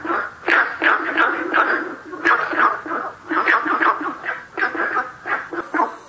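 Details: Günther's frog calling at a site named 南河谷: a run of short, harsh, barking notes, closely spaced and uneven in rhythm, with no other clear sounds.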